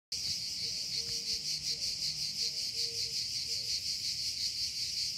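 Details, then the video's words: Cicada call: a dense, continuous high buzz with a fast pulsing rhythm of almost three beats a second, steady throughout, with faint low tones and background hum beneath. "THE SOUND OF TSITSIKAS"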